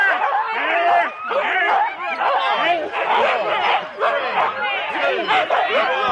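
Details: Four-dog Husky teams waiting at a sled race start in Rendlesham, January 2016: many overlapping shrill yelps and rising-falling whines form a continuous din, with voices of people possibly mixed in.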